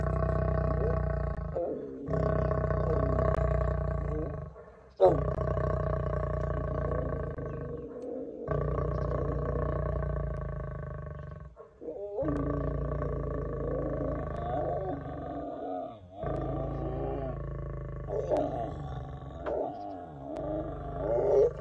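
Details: Lion pair, a lion and lioness together in a tent with people, giving deep rumbling roars and groans in long sustained bouts separated by brief pauses, with faint speech in places.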